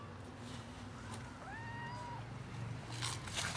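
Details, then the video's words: A once almost feral cat, now socialized, begging for food; one of a black and ginger-white pair gives a single drawn-out meow that rises then levels, over a low steady hum with soft hissy noises. "Black and Ginger-white cats meow and act cute to get food"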